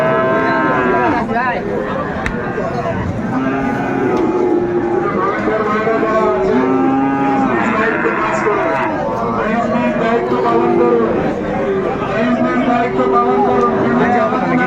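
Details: Cattle trading day at the Raniganj market in Dinajpur, Bangladesh, 28 November 2024, with Friesian and crossbred bull calves for sale; many animals moo in overlapping, repeated long calls throughout, beneath a thick background of crowd voices.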